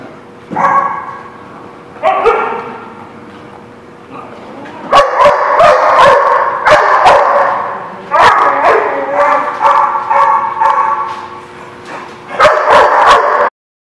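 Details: Dog barking, dated 19 December 2016: loud, harsh barks, first spaced a second or so apart, then dense rapid volleys of many sharp barks in bursts of one to two seconds, ending abruptly.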